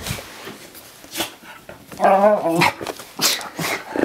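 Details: Miniature Schnauzer after a bath, excited; scuffling, then a drawn-out wavering whine-bark in the middle followed by a couple of shorter sharp barks.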